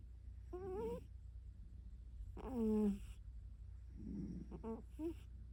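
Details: Zuka the pet cat snoring while asleep in a lap in bed indoors: squeaky, nasal tonal whines lasting about half a second, alternating with soft, breathy rasps.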